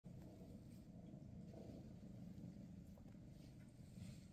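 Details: Maine Coon mother Freya spending her last day with her kittens before they move to new homes; a steady low rumbling purr runs without a break through the whole stretch, with faint rustling above.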